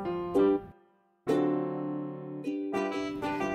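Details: Bright electric piano chords ring out in short phrases with a brief pause after the first second, and no animal voice is heard.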